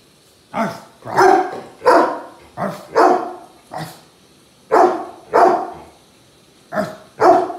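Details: German Shepherd play-fighting with its owner, barking in loud, rough bursts, single and paired, at uneven intervals about two seconds apart.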